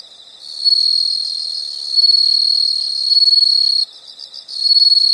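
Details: A loud, sustained high-pitched insect trill, briefly broken near the end by softer pulsed chirping before the shrill buzz resumes.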